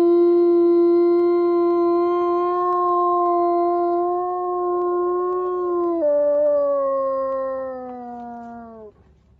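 A wolf gives one long, steady howl that steps down in pitch and slides lower before fading.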